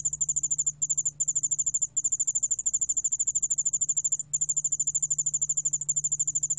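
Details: Yeoul allak bangul beolle cricket song from Korea's National Institute of Biological Resources, 2020: high, rapid pulsed trill in long trains broken by brief pauses, over a steady low hum.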